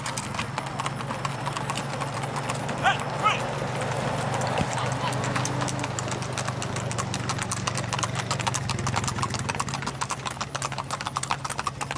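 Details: Tennessee Walking Horses, saddle horses, parading on a street in Tollette, southwest Arkansas; steady clip-clop of hooves on pavement under a broad crowd murmur, with a brief voice and low engine hum.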